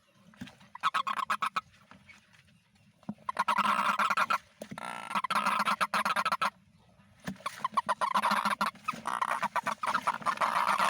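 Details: Rainy-season toads: a few separate honks at first, then loud, overlapping runs of rapid nasal pulses that swell into a dense chorus with short lulls between.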